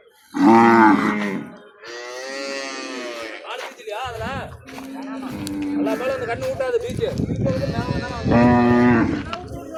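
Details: Cows at a cattle market: a loud, deep, drawn-out moo opens, a second steady low moo closes, and Tamil conversation from nearby people fills the gap between the two calls.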